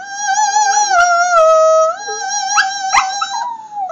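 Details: Annie, a Sheltie puppy, howling and singing along to Amazing Grace as a pet trick; long, sustained, wavering tones glide up and down like a melody, with the tune's music underneath and a few brief clicks.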